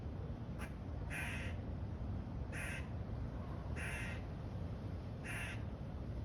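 A squirrel gives harsh, rasping bark-like calls, repeated about every second over a low background rumble.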